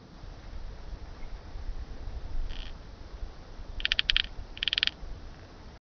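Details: Eurasian pincer grasshopper, Calliptamus barbarus, at Haut Asco, France, on 24 August 2023, taken with an ultrasound detector: three short dry buzzy rasping bursts, the last two louder and pulsed, over low background rumble.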